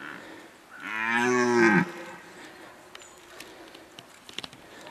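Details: Single deep red deer roar from the 2019 rut, about one second long with a rich harmonic voice bending slightly down at the end, followed by a quiet outdoor background with faint ticks.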